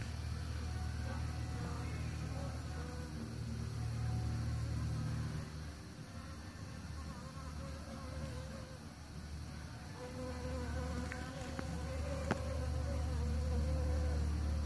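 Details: Bees pollinating, their low buzzing drone strong at first, dipping quieter around six to ten seconds, then swelling again with a rising, wavering hum; one sharp click near the end.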